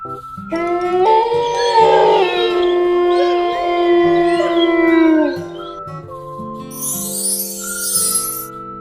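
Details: Wolf howling: long, tonal, wavering howls lasting about four seconds, sliding slightly and dropping at the end, over a steady children's music backing, then a tune and a hissing swoosh.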